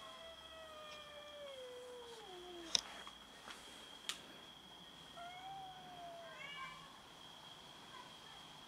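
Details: Cats quarrelling over food: a long meow that slowly falls in pitch for over two seconds, followed by sharp knocks, then a second shorter descending meow, over a steady high-pitched background whine.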